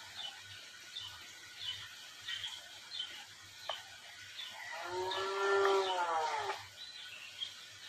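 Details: Cattle being worked at Rancho La Tijera in Valle de Zaragoza and Huejotitan, Chihuahua, Mexico. After scattered faint knocks and clatter, a single drawn-out harmonic moo lasts about a second and a half, arching gently and then dropping away.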